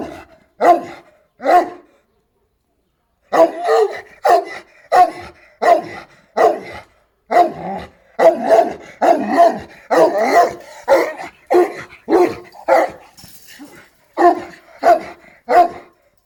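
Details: Šarplaninac dog barking in bursts: two barks, a pause of over a second, then a long rapid series of about twenty barks, some closely doubled, fading toward the end.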